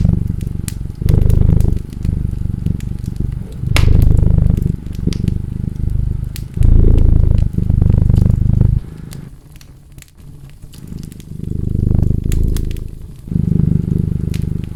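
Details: A purring cat, its low rumble coming in pulses of one to two seconds with a softer lull partway through, set against crackling, popping firewood.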